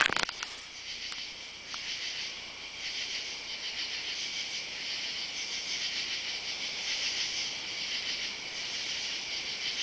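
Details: Summer night chorus of katydids recorded on July 31 while walking beneath oak trees in a yard and down a driveway. A steady, high, shimmering buzz pulses gently throughout after a short knock at the start.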